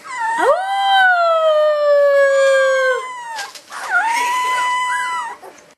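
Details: A Rhodesian Ridgeback puppy from a 2011 litter howls twice, long drawn-out notes that rise, then slowly slide down, after being asked to do it again.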